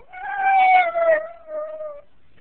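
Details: Jack Russell Terrier crying as its owner leaves: a drawn-out, wavering whine sliding slowly downward over two seconds, breaking briefly and resuming lower, with a person softly reassuring it nearby.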